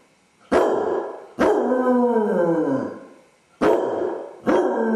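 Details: Basset hound named Dodger home alone, anxious after his owners leave; abrupt barks open drawn-out descending howls, one long wail sagging in pitch over nearly two seconds, followed by two more short baying barks.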